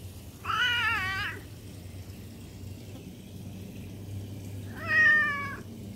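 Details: Domestic cat meowing indoors: two drawn-out, tonal meows about four seconds apart, each rich in harmonics and slightly falling, over a low background hum.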